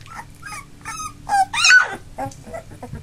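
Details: Three-week-old Labrador Retriever puppies, one of a litter of eight, now walking with eyes open, give high whimpering squeals and yips that rise and fall, with a louder squeal peaking in the middle and shorter cries after.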